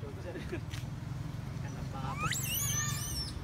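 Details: Crying baby female monkey begging to be nursed by her mother: a sharply rising sweep leads into a piercing, wavering squeal that holds briefly, with faint murmuring and low rumbling noise underneath.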